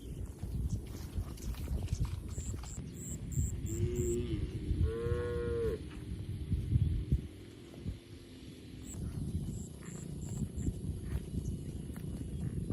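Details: Inside a large barn holding dozens of resting cattle, a single cow gives two short moos, the second rising and then falling, over a low rumbling background with faint high beeps.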